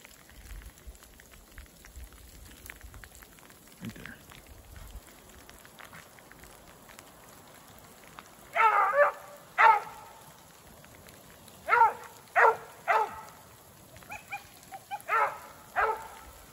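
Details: Beagles, Koblers Running Whiskey River (Rio) and his sister Ripley, running a snowshoe hare in woods with fresh snow, sleet and rain; after a quiet rainy start, a few distant bawling bays come in separated bursts during the second half.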